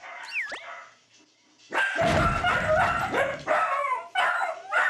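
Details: Several of a four-dog, three-generation dachshund family break into loud, rapid, harsh barking, worked up by the sound of other dogs barking. When one barks, the others follow, and the excitement spreads through the pack.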